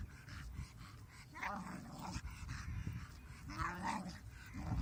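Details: Female pet dog making odd noises while playing with a huge stick, seemingly shouting at it as she shuffles backwards in low light; low rumbling growls mixed with short, rising, whiny yelps and grumbles in irregular bursts.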